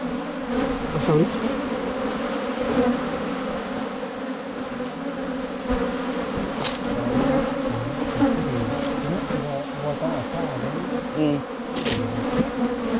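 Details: Asian honey bees buzz in a low, unbroken drone at a wild nest during a 2022 honey-hunting trip, with occasional handling knocks and rustling nearby.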